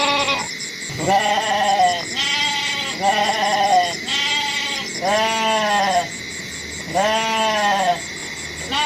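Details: Goat giving a run of six quavering bleats, roughly one per second, each slightly falling in pitch, against a continuous high, rhythmically pulsing insect-like chirr and a steady background tone.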